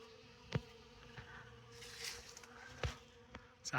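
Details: Honey bees cleaning up honey in a tote outdoors in the sun on December 6, at about 63 to 64 degrees. A soft even buzz with a few loud clicks and brief close fly-bys.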